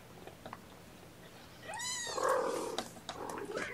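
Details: Bottle-fed kittens at an early morning formula feeding by syringe, a lapful of them; one drawn-out, strongly harmonic mew that rises and then holds steady, with handling noises and soft clicks around it.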